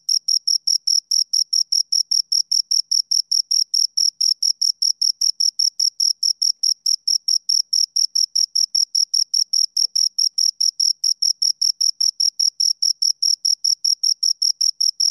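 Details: Steady cricket chirps from two insects, sharp high-pitched pulses repeating evenly about two to three times a second with no pauses, over a silent background.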